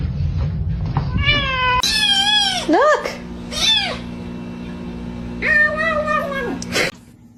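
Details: Domestic cat giving a run of loud, drawn-out meows, several rising then falling in pitch, with short gaps between them; people talk and laugh nearby and a steady low hum runs underneath.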